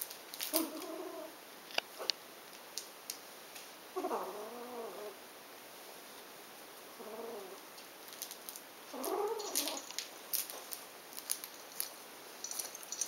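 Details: Six-week-old Ragdoll kittens, born 11 July 2012, mew while playing in brief, wavering tonal calls that arch up and slide down every few seconds, with light clicks and rustling between meows.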